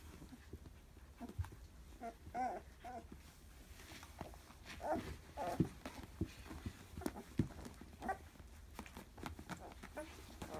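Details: Labrador Retriever x German Shepherd puppies, 14 days old, from a first litter of a Labrador dam and German Shepherd sire; soft irregular squeaks and whimpers scattered through the recording with low rumbling handling noise.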